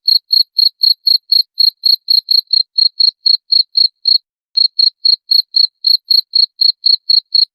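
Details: Cricket calling in a clean, steady series of short high pulsed chirps, about four per second, with one brief pause midway and no other sounds.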